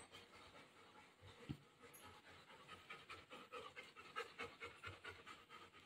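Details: Golden Retriever dog resting indoors after playing in the rain during the rainy season, wet and being towelled dry; soft rhythmic panting breaths, about ninety a minute, with a woman talking nearby.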